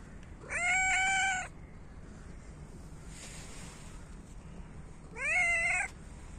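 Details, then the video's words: Winter feeding of hungry cats competing for food: two loud meows about four seconds apart, the first level and sustained, the second rising sharply at its start, against quiet background hum. "Cats meow loudly and compete for food"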